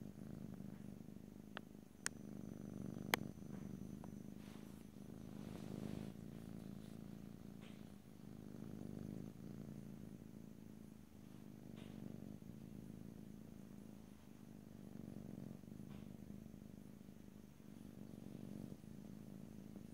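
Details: Cat purring continuously in stereo with no talking, a low buzzing rumble swelling gently in waves over twenty seconds, two sharp clicks early on.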